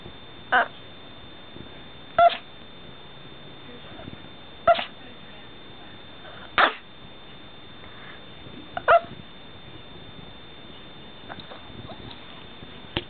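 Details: Pet Chihuahua breaking off a staring contest with its owner, whining and woofing; a run of short, abrupt woofs roughly every two seconds, five clear ones and then fainter bits, over a constant high whine.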